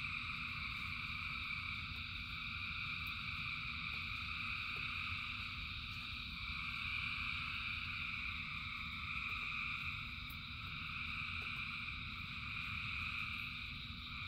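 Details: Massed frogs in rain form a continuous high-pitched chorus that swells gently in places, set against a constant low roar of rain and a few isolated drip-like clicks.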